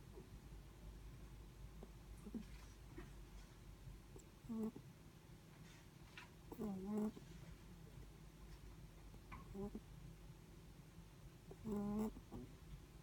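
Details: Netherland Dwarf rabbit asleep, its snoring breath coming as brief, squeaky, buzzing puffs at irregular gaps of two to five seconds against a faint constant room hum.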